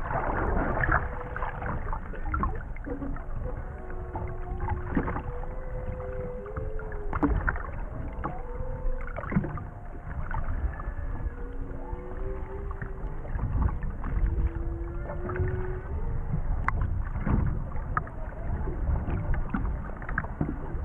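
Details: Underwater recording of three humpback whales off Maui in 2018: drawn-out, wavering tonal moans and rising whoops repeat throughout, set over constant low rumbling water and boat noise with sharp clicks and knocks.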